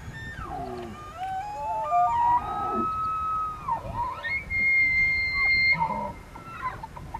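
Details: Wild elk (Cervus elaphus) in Benezette township, Elk County, Pennsylvania, during the rut: high, drawn-out whistled bugles with sliding, rising and falling tones and long steady notes, several overlapping, over faint background noise.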